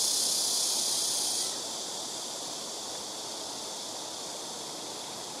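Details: Black cicada chorus from trees around a home rooftop, callers taking turns; a loud high sizzling buzz drops sharply in volume after about a second and a half, then continues as a quieter steady drone.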